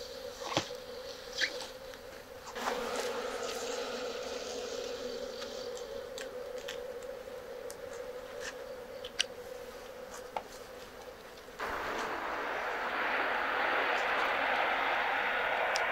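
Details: Japanese honeybees (Apis cerana japonica) humming at a box hive in Kyoto, Japan, while honey is harvested. A steady layered drone holds for several seconds with scattered ticks, then gives way to louder broadband rushing noise.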